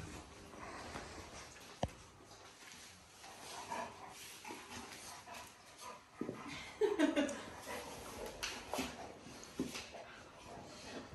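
A Cane Corso makes short, mid-pitched whines and grumbling noises while playing.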